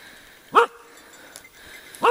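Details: Two-year-old Kishu Inu hunting wild boar in the Czech Republic gives two sharp, loud barks about one and a half seconds apart, with a quiet outdoor background in between.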